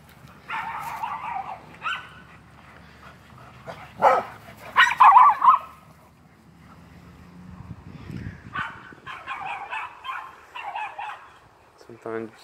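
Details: Feisty Miniature Schnauzer while playing: bursts of sharp, harmonic barks and yips scattered across the clip, some doubled in quick pairs, with a low rumbling grumble between them and a rapid clicking patter near the end.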